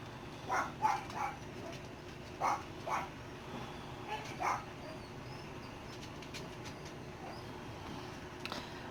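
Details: Dachshund pups at six weeks old, spending less time nursing with their mother, let out scattered sharp yelps in two small bursts early on, then fall quiet against low indoor hum.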